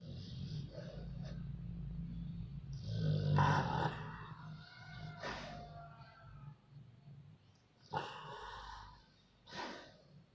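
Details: Sleeping, dreaming dog: a low rumbling snore beneath scattered rough, breathy bursts and short throaty noises, with louder sharp snorts near the end.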